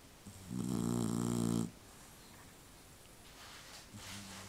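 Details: Sleeping dog giving one long, deep, buzzing snore of just over a second, followed by quiet breathing and the faint start of another soft snore.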